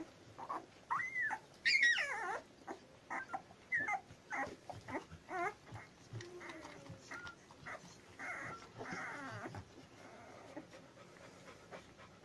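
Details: Labrador Retriever puppies at ten days old whimpering and squealing: thin whining cries rising and falling, one loud high squeal near the start, then a run of short squeaky yelps tapering into quieter whines.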